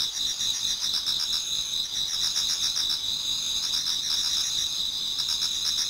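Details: Autumn insects in a Japanese garden near dawn form a thick, unbroken high-pitched chorus, layered steady tones with fast pulsing trills running beneath, nothing else clearly heard.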